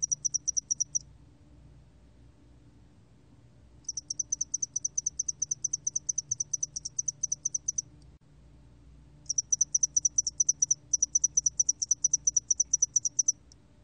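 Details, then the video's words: Spotted-wing hairy cricket song of long trains of rapid, high ticking pulses, broken by silent gaps of a few seconds, over quiet low background noise. "점날개털귀뚜라미, 여러번 듣기, 곤충소리"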